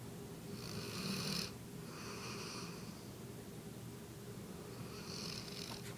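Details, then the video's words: Sleeping female pet dog lying in a person's lap indoors, snoring in a run of breathy snores: three rough, hissy inhalations roughly every second or two over a low steady rumble, no other sounds in the quiet room. "Sleeping/snoring dog"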